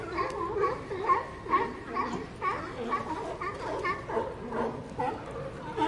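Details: Sea lions calling in a group: hoarse, harmonic barks come in quick pulses about every half second, with several animals overlapping into a steady chorus.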